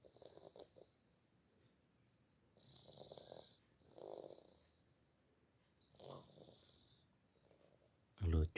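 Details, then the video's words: Sleeping cat snoring while dreaming, with soft rasping snore breaths near three, four and six seconds separated by quiet pauses, the whole recording low and hushed, ending in a short loud knock. "Kucing tidur Ngorok"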